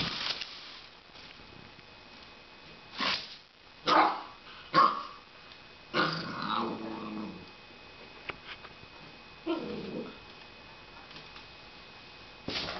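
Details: Puppy playing with a broom: short sharp barks around the third to fifth seconds, then a longer harmonic growling bark and another rough growl later, between bursts of scraping and scuffling.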